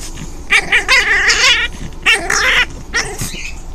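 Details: Five-week-old orphaned foster puppy playing alone with toys, giving harsh rasping growls and yippy noises in three bursts, with rustling of toys.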